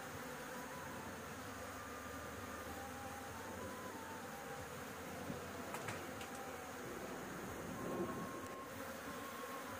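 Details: Honey bees at a nest on a house roof, disturbed during a honey harvest in which smoke is puffed to make them leave. There is a dense, even buzzing drone with a few sharp clicks and a louder rise toward the end.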